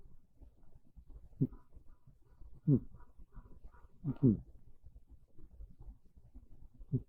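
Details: Sleeping on a bed on a cool, rainy early afternoon, Monta the cat snores quietly. A few low, husky breath bursts, two stronger ones near the middle, sit over a faint hum in a still room.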